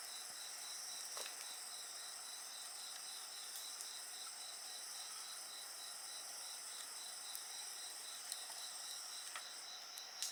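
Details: Night insects keep up a dense, even, high trilling chorus with rapid regular pulses, while a bonfire burns nearby and snaps now and then with short sharp crackles.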